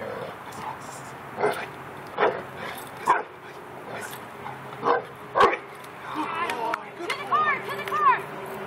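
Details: Prince, a Labrador Retriever, training in protection guard work at Sirius K9 Academy in Yorba Linda, California, learning the guard and bark; sharp, loud barks in an uneven series roughly every second, with a person talking throughout and brief tonal squeals near the end.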